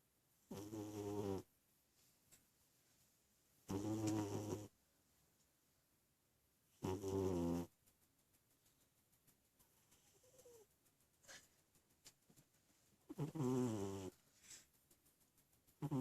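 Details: Sleeping pet cat snoring: four loud rasping snores, each about a second long, spaced three to six seconds apart, with soft clicks and breathing noises between them.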